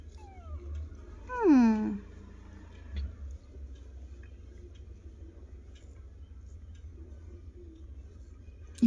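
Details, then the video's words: Kitten meowing in reply to its owner indoors: one clear, high, falling meow rich in overtones early on, a fainter faint mew before it, a brief cry at the very end, and a low background hum. "How Cutely They are responding to me"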